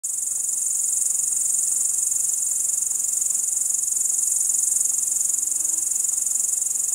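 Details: Crickets chirping at night at 01:27 on 30 July 2012 in Kiili, Estonia: a dense, steady, very high-pitched trill, pulsing rapidly and evenly without pause throughout, with no other clear sounds.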